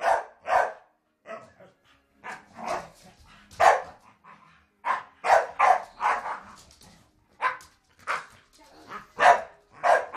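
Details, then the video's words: Staffordshire Bull Terriers play fighting, a steady run of harsh barks and growly yaps, sometimes in quick pairs, over about ten seconds, with brief human speech mixed in. "staffs fighting"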